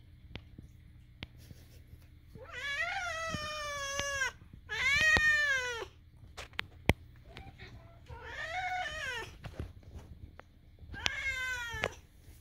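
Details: Pet cat Moo utters his weird sounds while Daisy tolerates them; four loud, rich wailing meows spaced about two to three seconds apart, each arching in pitch, with faint clicks and a low hum indoors.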